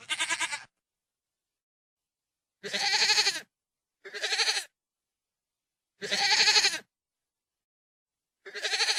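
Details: A goat bleats repeatedly, each a wavering, nasal cry lasting under a second.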